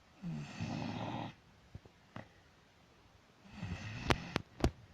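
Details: Dog snoring indoors: one long raspy snore, a quiet pause broken by soft clicks, then a second rougher snore ending in sharp snorting clicks.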